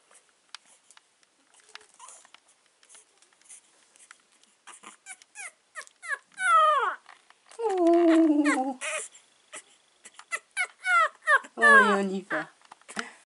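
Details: Four-week-old male Staffordshire Bull Terrier puppy, filmed 14 September 2020, whimpering: bursts of short, high, downward-sliding squeaks, then a longer, lower drawn-out whine, followed by more quick squeaky cries and soft rustling.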